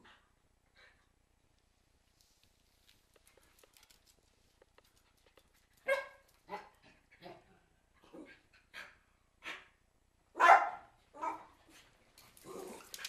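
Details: Cairn Terriers indoors, quiet at first, then irregular barks of varying strength, with one especially loud, harsh bark near the end and some rough vocal noise after it.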